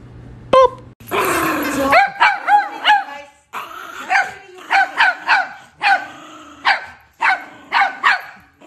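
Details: Chihuahua, a pet dog indoors, barking in a quick series of about ten short, sharp barks. Each bark has a slightly rising then falling pitch. A burst of noise comes just before the barking starts.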